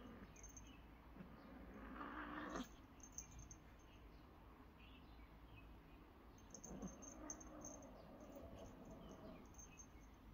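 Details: Domestic cats whose play has turned into a fight: low drawn-out growling yowls with a sharp squeal near the two-second mark and again around seven seconds, over a steady hum.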